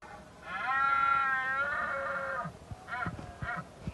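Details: Red deer roaring during the rut at dawn in Cabañeros National Park: one long, rich, harmonic bellow of about two seconds, followed by two short, grunting bursts, against quiet, low background noise.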